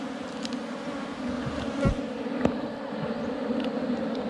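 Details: Wild honey bees at a forest hive under rocks, disturbed while a honey hunter collects the comb: a steady low droning hum with a strong overtone, continuous through the whole stretch, broken by a few sharp clicks and knocks.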